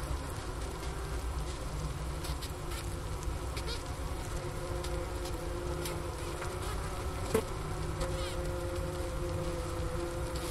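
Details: Close-up hum of a honey bee winter cluster, recorded with a Sony ICD-PX370 at the inner-cover hole next to a sugar brick. Wooster, Ohio, January 16, 2024, about 4 PM, 15 °F. A soft even drone runs on, with one brief click.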